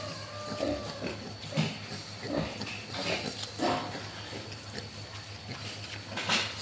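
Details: Mischievous wild boar giving short, rough grunts in scattered bursts, some low and some higher and snorting, over a steady low electrical hum.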